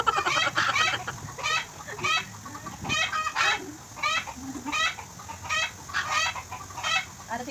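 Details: Affectionate goat kid being bottle-fed in Bahrain, repeating quavering, overtone-rich bleats about every second, loud and close, with faint rustling between calls.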